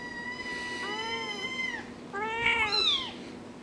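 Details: Kittens meowing indoors: two drawn-out, clear meows, the first level and falling at its end, the second rising then dropping, with a steady low hum behind and a person speaking just before.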